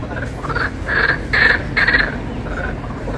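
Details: Frogs croaking in the Japanese pond at Giverny, France, on a May afternoon, likened to a concert; several short bright croaks repeat in a loose run over a noisy background, with a voice faintly present.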